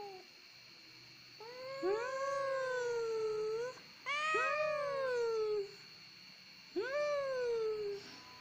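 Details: Domestic cat crying, called a cat easy to cry: three long plaintive meows, each rising sharply then slowly falling over one to two seconds, spaced a few seconds apart against a quiet room hum.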